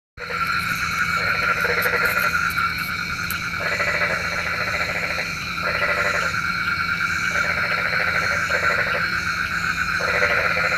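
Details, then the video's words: Frogs calling at night, a chorus said to call rain: bursts of rapid, rattling pulsed croaks about a second long, repeated with short pauses, over a constant shrill hum of insects. "SUARA KODOK KATAK | Panggil Hujan"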